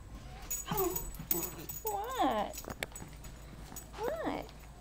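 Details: Dog whining in high, wavering tones that rise and fall in three short bursts. The household has Sparkles, a 4-month-old Mini Bull, and Princess, a 15-month-old Toy Fox Terrier. A person talks between the whines.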